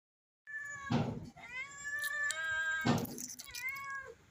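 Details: Stray mother cat begging for food shortly after giving birth to kittens; two loud, harmonic meows with a falling tail, each about a second long, followed by a softer drawn-out mew and a short final call, with faint knocking.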